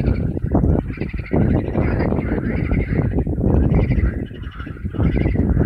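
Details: A springtime dense chorus of frogs at temporary ponds, with many overlapping pulsed, croaking calls over a rumbling low background.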